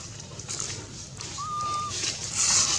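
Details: Baby monkey Anissa, very hungry for milk, calls her mother with a single drawn-out, flat, whistle-like cry lasting about half a second, followed by a burst of high hissy noise.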